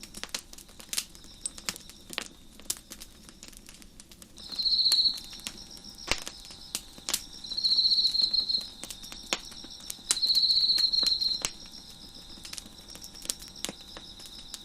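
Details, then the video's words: Nighttime crickets chirping near a crackling fire on a deck, three loud high trills of about a second each rising over a constant shrill background chorus, punctuated by frequent crisp crackles and pops from the fire. "Crackling Fire on the Deck with Crickets Chirping in the Background"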